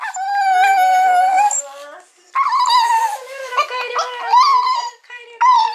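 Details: Mame Shiba, a female puppy of about eight months, sobbing when collected following spay surgery; a long, drawn-out, howl-like wail for nearly two seconds, a brief pause, then a run of wavering, warbling cries.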